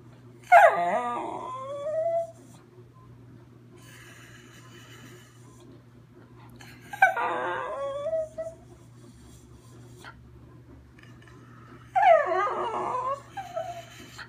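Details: Riley the schnauzer singing: three separate bursts of whiny, wavering howl-yips, each sliding down in pitch with rich harmonics, about five seconds apart, over a steady low hum.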